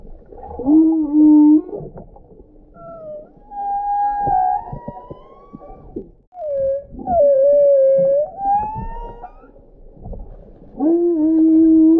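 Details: Eerie, loud humpback whale song: held layered tones, long rising moans sliding upward, a dipping wavering unit, then the low steady layered tone again, in quiet water.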